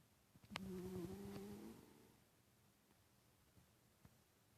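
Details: Titus the cat snoring in sleep: a single drawn-out, low buzzing snore lasting over a second, fading into soft breathing, preceded by a sharp click.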